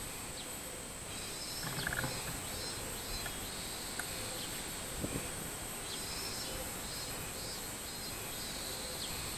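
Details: A Robust cicada (minminzemi) sings on 24 July 2016, a steady high shrill drone with faint rhythmic pulses swelling through it.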